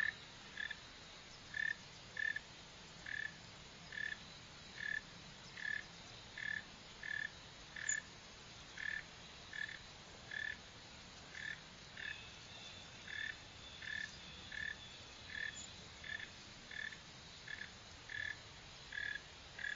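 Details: Northern mole cricket (Neocurtilla hexadactyla) calling with a long, steady series of short, mid-pitched chirps, about one every 0.7 seconds, against a soft background hiss.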